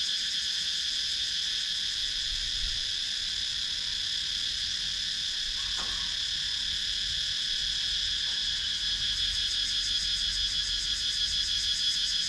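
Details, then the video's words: In the wooded countryside of Sakon Nakhon, Thailand, cicadas keep up a loud, constant high buzz, recorded by GoPro Hero 9; a quick pulsing layer swells toward the end, with a few faint clicks in between. "Relaxing Sounds in Nature – Cicadas Sound"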